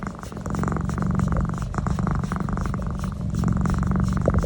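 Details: Pet cat enjoying a neck massage, giving a low, rapid, throbbing purr that holds steady and grows slightly louder toward the end.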